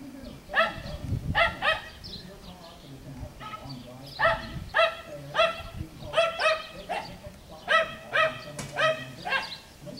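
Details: Schnoodle puppies, bred from a Miniature Schnauzer mother and Miniature Poodle father, playing on an Iowa farm: high, sharp yips and barks come in quick bursts through the clip, about a dozen in all, over low rumbling background noise.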